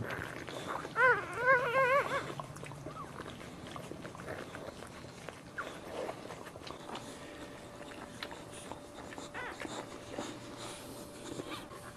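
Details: Dog at home in the middle of giving birth standing up, Hong Lim; a burst of three loud, high, quavering whines near the start, then quieter rustling, soft movement noises and a steady faint tone.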